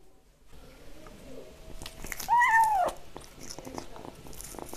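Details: Kitten eating egg yolk indoors gives one clear, drawn-out meow that rises then slides down, lasting about half a second mid-clip, surrounded by soft wet licking and smacking clicks of eating.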